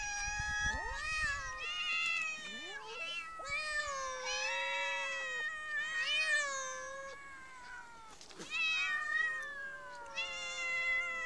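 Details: Street cats giving a dense run of long, strongly harmonic meows, one after another, some bending up then sliding down, with a short noisy break near the end before the calling resumes.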